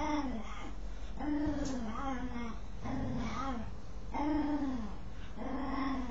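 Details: Dog scratching itself and giving a string of curious, wavering groans, each a rising-then-falling harmonic moan, about five over six seconds, some sliding downward at the end, over a low rumble.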